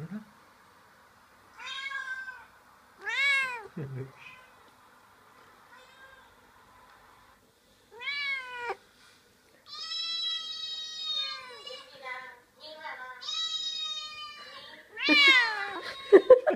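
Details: A pet cat meowing indoors while hearing other cats played on a computer: a string of harmonic meows, some short and arched, others long and drawn out, separated by quiet gaps, with a faint background hum.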